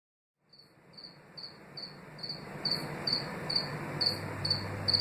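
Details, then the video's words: House cricket (Acheta domesticus) in East Suffolk, UK, 2018, the first Suffolk record since 2010: after a silent start, short high ringing chirps repeat about twice a second, growing louder, over a faint low hum. "A House Cricket chirping in Suffolk, UK, 2018"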